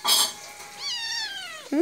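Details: Two cat brothers play-fighting on a person's lap indoors; a sharp hissy burst, then a drawn-out, whining meow of about a second that slides steadily downward in pitch, ending in a brief rising squeak.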